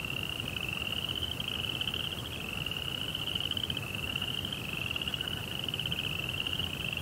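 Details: Crickets sounding at night: a near-constant high trill broken into long overlapping runs, each pulsing rapidly at a steady pitch, with a soft low rumble behind.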